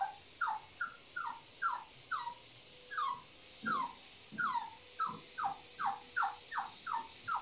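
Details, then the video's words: Holly, a 9-week-old Cavapoo puppy, whimpering in a steady series of short, high, downward-sliding squeaks, roughly one or two each second, against a faint background hum. "Holly the 9 weeks old Cavapoo puppy"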